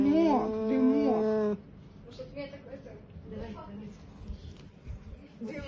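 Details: Cat making a weird, drawn-out, wavering yowl with rising and falling pitch for about a second and a half, then a woman speaks soothingly in Russian indoors.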